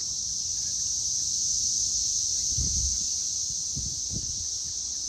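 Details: Loud cicadas at 6:00 pm on May 24, 2024. A constant piercing buzz fills the background while a few dull low knocks, like handling or footsteps, break in near the end.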